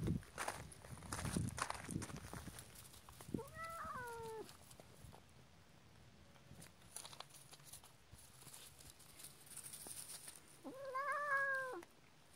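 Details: Cat fed up with a puppy, giving two meows that rise then fall, the second brighter and richer, with thumping and shuffling sounds early on.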